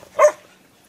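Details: Gwen, a sweet, gentle female Whippet mix adopted from a shelter, gives one short, sharp bark that fades quickly into near silence.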